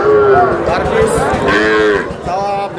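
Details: Young bull calves offered for sale: loud, steady, nasal mooing held through the whole stretch with slight pitch wavers, over busy background chatter and crowd noise.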